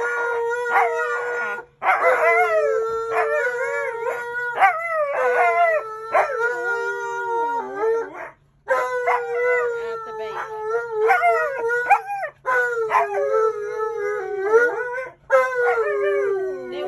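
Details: Siberian Huskies at a bank demanding biscuits: a long run of insistent, wavering howls and woo-woo yodels, rising and dropping in pitch, repeated with short pauses across the clip.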